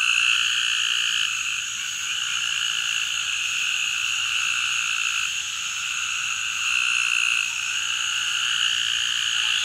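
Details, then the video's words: A male Eastern narrow-mouthed toad (Gastrophryne carolinensis) calls with a long, high, nasal, lamb-like buzz in the Atchafalaya Basin, south-central Louisiana, on 27 July 2013, with two other individuals close by. "Calling male Eastern Narrow-mouthed Toad, Gastrophryne carolinensis"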